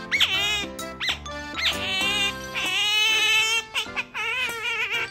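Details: A female pet otter indoors, 'talking' in short, sharp squeaks. Each squeak hooks upward and carries rich harmonics, and they come in quick separate bursts over steady background music.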